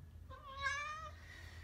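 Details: Pet Oriental Shorthair cat at home in the morning, one of several cats being petted, giving a single clear tonal meow under a second long, rising then gently falling, with a soft voice talking to the cats nearby.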